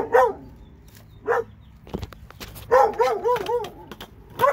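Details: Two Alabama dogs barking in wavering, yelping bursts, a lone bark, a few clicks and knocks, then a rapid run of four rising-falling barks and one last bark.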